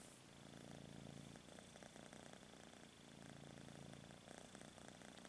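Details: Low, continuous kitten purr pulsing with each breath, the rumble rising and easing twice in five seconds over a soft steady hiss.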